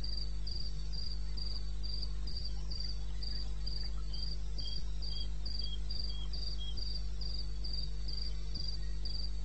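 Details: Eastern Botswana wilderness at 2:30 AM, 21 May 2016: a cricket sings a steady train of bright, high chirps about four per second while a second, lower insect adds a short run of chirps midway; low background hum throughout.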